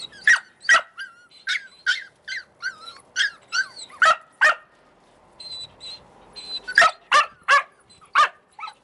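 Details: Australian Cattle Dog puppies in Slovakia giving a busy run of short, sharp high yips and barks, several in quick succession with brief whimpering whines between, a pause near the middle, then more bursts of yapping.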